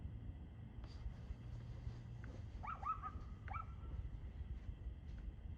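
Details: Dog barking on 2/6/2024 at 6:02 pm: a quick cluster of three or four sharp, faint barks midway through, over a steady low rumble and hum.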